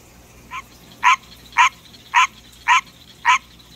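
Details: A pet green tree frog calls at night, giving evenly spaced honking croaks about every half second, the first one quieter, over faint background hum.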